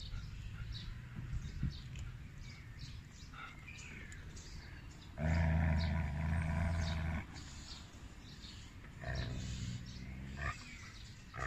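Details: Siberian husky behaving aggressively during a training evaluation: a loud, low, rough growl that swells for about two seconds in the middle, then a softer growl near the end, with a person's voice and background noise.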